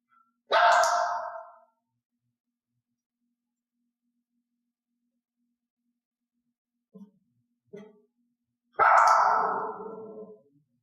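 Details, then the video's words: During cue training, Elaine the dog, clicked and treated only for cued barks, lets out one loud sharp bark, then a long silence broken by two faint brief sounds, and finally another loud bark with a trailing lower tail. "i gave the cue and then clicked the resulting bark the dog must learn that reinforcement only comes from this behavior"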